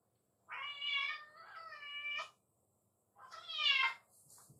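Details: A black-and-white tuxedo house cat, left home alone every day, greets its owner coming home with two drawn-out, high, tonal meows about two and a half seconds apart, the second rising then falling, indoors in a quiet room.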